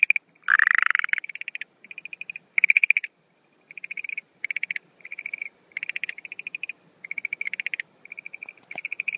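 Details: Schlegel's green tree frog calling at night on 17 April 2013, as the breeding season begins, with no female seen: short pulsed rattling trains repeated with brief gaps, plus one louder, harsher burst near the start.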